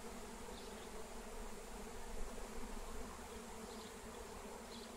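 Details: Airborne honeybee swarm, wild, captured with a lemon balm plant: a continuous low, dense buzzing hum that swells slightly midway, with a few soft higher chirps.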